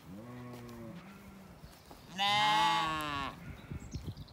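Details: Spring orchard in County Kilkenny, Ireland, where ewes and lambs graze together calling to each other: a soft low bleat, then one loud quavering bleat lasting about a second, followed by faint rustling.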